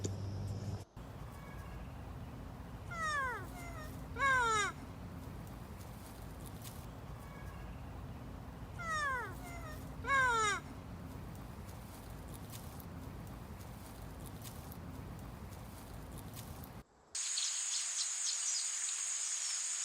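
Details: Lemur giving two sets of descending, wailing, mewing calls about six seconds apart, each a short run of falling notes, over a low background hum; ends with a burst of high insect buzz.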